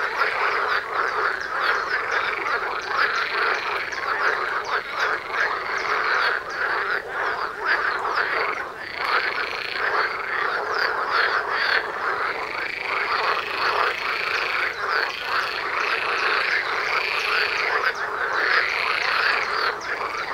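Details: Long stretch of a dense frog chorus near a house, loud over hundreds of metres: a constant throbbing of croaks, with looping, rising-and-falling calls standing out and repeating in the later part.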